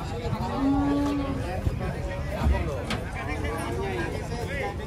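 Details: Giant cattle coming down off a truck: a short steady low moo holds for under a second, surrounded by men talking and handling noise in the background.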